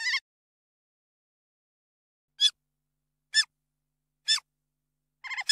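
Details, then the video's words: Otter chirping: short, sharp, high chirps spaced about a second apart, ending in a quick cluster of three rapid notes, against complete silence. "Sonido Nutria Vocalizando Chirrido"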